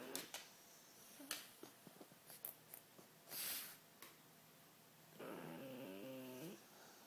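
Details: Pug snoring indoors in a small room: scattered soft clicks and rustles, then one long raspy, buzzing snore with a steady stacked tone near the end.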